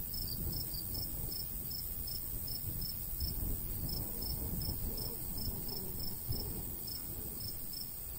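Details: Crickets chirping in summer countryside by a golden wheat field, light breeze: high thin chirps repeated steadily about twice a second throughout, over a constant low rumble of wind.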